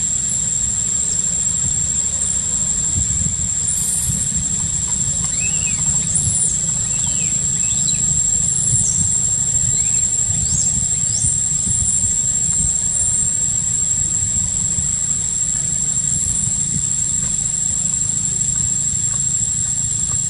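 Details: Baby macaque Quinton in a park, crying after rough handling by its sister monkey: thin, high arched squeals come in irregular bursts over a steady shrill insect drone and a low background rumble.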